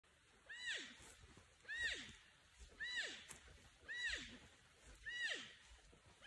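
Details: Porcupine apparently alerting or calling for a friend or mate; a series of five quiet calls about a second apart, each a thin high note sliding steeply downward, with faint background noise.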